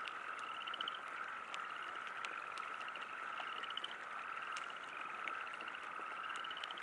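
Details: A steady frog chorus at a river campsite, with a mid-pitched drone and rapid pulsed trills, over light pattering rain.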